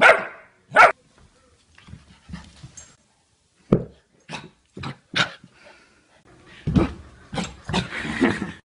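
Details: Bernese Mountain Dog puppy, female, jumping into attack mode when threatened; short sharp barks and yips scattered irregularly, louder bursts at the start and end, with quieter low grumbling sounds between.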